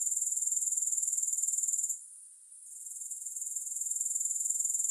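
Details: Shrill, rapid pulsing of grasshoppers with no music, breaking off at two seconds into a brief lull before the high, regular chirring gradually builds back to full strength.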